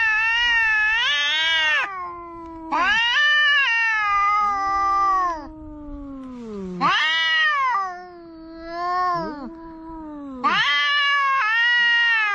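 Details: Two cats quarrelling at the seaside, one of them a big orange cat: long harmonic yowls trade back and forth, loud wavering wails broken by lower drawn-out moans that slide downward, with short gaps between bursts.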